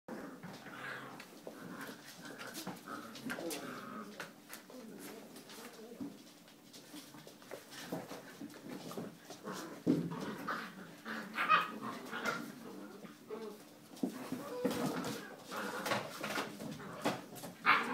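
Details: A liver-and-white male English Springer Spaniel gives short, high whimpering calls indoors while a person talks nearby and tells him to sit.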